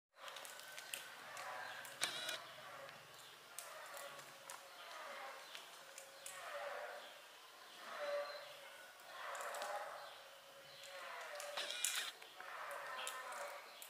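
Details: Mother cat vocalizing as though singing karaoke: a series of drawn-out, harmonic, wavering calls, each swelling and fading over one to two seconds, with short pauses and faint clicks and taps between them.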